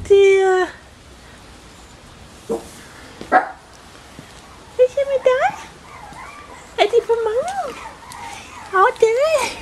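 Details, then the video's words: Bichon Frisé puppies of litters O and P at a small kennel in Vejle, Denmark: high, wavering whimpers and squeals in short bursts, some rising and falling, separated by quiet gaps with faint clicks. "Bichon Frisé hvalpe O & P"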